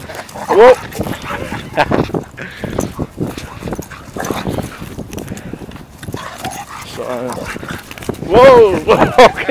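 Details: A pit bull plays roughly with a smaller French Bulldog; short tonal whines and yelps burst out at the start and again near the end, between rough growly play noises, with people talking and exclaiming throughout.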